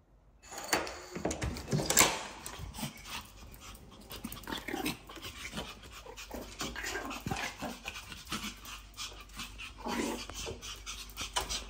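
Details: Two female Pomeranians react as their owner comes home: rapid panting and snuffling breaths with scattered clicks and rustling, continuous over about eleven seconds, with household movement noise.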